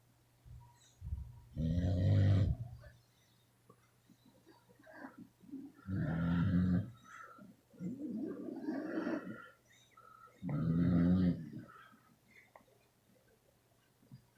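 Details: Beagles sleeping soundly and snoring; four rasping, rumbling snores roughly every three to four seconds, some throaty and grunting, over a low steady hum.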